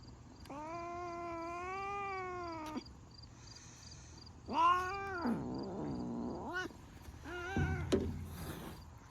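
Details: Two female domestic cats sharing the raising of their kittens, filmed nursing them at a raised cat feeding station in summer. A long, drawn-out meow of over two seconds, then shorter rising-and-falling meows, over a faint, steady high-pitched pulsing tone.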